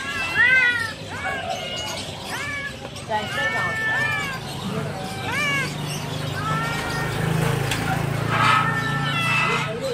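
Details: Several Persian kittens for sale at a pet market in Multan meow in overlapping, high, arched mews, with a man speaking nearby.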